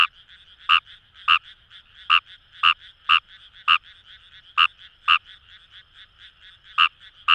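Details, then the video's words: Paddy-field chorus at Itoshima, Fukuoka, Japan, with a nearby Fejervarya kawamurai giving loud clipped croaks in uneven bursts, some quick doubles and a pause, over steady distant frog calling. "Wild Frog Call | ヌマガエル"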